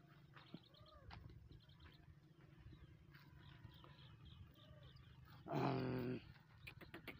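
A donkey gives one loud, harsh, rasping bray burst after a quieter stretch of faint calls.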